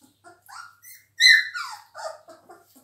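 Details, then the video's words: Three-week-old Labrador Retriever puppies indoors giving short, high squeals and whines, one loud rising-then-falling yelp in the middle, with softer scattered squeaks around it. "chiots labrador 3 semaines"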